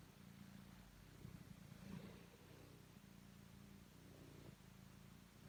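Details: Domestic cat Totto kneading and purring, a continuous low, buzzy rumble with layered tones that holds steady throughout, over a faint background hum.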